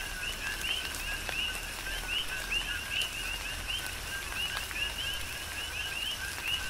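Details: Big Island, Hawaii, rainy night ambience: coqui frogs repeat quick two-note calls, low then a bright upward whistle, in a steady overlapping chorus while rain patters and drips fall around them.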